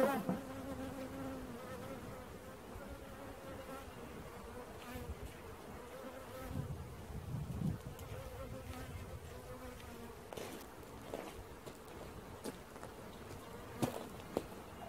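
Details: Bees buzzing in a swarm during capture: a continuous low drone whose pitch wavers slightly over the whole stretch. Occasional sharp clicks and knocks break through near the end.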